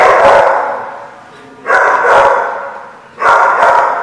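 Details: A dog at The Barking Lot barks three times, each bark a harsh mid-pitched burst that fades slowly, roughly every one and a half seconds.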